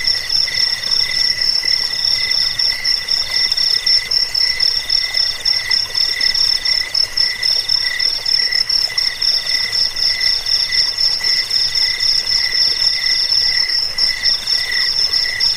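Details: Crickets used to drive off rats and train songbirds sing continuously. Rapid high-pitched chirps pulse steadily, layered with a thinner ringing trill and a lower throbbing buzz, forming a dense, unbroken insect chorus.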